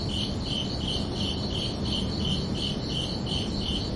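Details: Chorus of crickets on a summer night: rhythmic high chirps pulsing steadily, a faint higher insect shimmer above, and a constant low rumble beneath.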